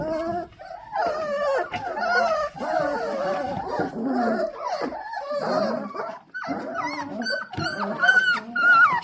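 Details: A litter of four-week-old Dalmatian puppies impatient for dinner indoors, giving a steady chorus of high whines, squeaky yelps and a few low growly grumbles, calls overlapping throughout.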